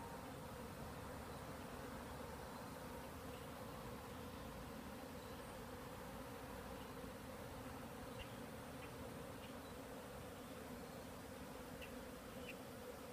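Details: A large cloud of honeybees from several hives filling the air, possibly new bees on orientation flights, a dense, unbroken low buzzing drone throughout, with scattered faint high chirps in the background.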